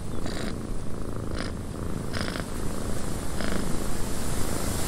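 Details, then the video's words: A cat purrs steadily in a windy cabin, a dense low vibration throughout, interrupted by a few short bursts of brighter rustling or creaking noise. "Cat Purring in a Windy Cabin 8 Hours of Blissful Purring"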